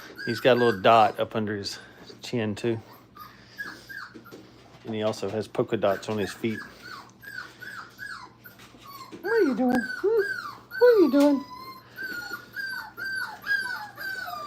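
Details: Brittany puppies, five weeks old, during crate training in a small room: human talking at the start, then a string of high, falling whimpers and squeaky whines, some rising and breaking, coming quickly and irregularly.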